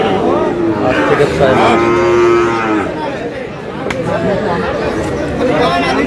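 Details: Sahiwal cattle at a busy Bangladeshi cattle market near Comilla: a long, steady, tonal moo held for over a second, with further lowing and men talking and haggling around it.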